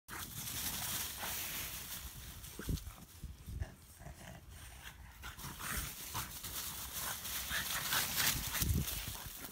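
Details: Two French Bulldogs playing, escalating into a scuffle, give short, gruff grunts and snorts in irregular bursts over steady background hiss.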